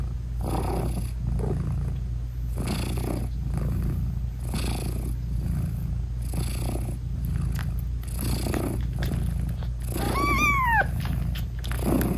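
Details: Nursing British Shorthair mother cat with her tiny kittens, eyes still closed; a rhythmic low purr pulses with each breath, then a single clear, bending meow sounds near the end.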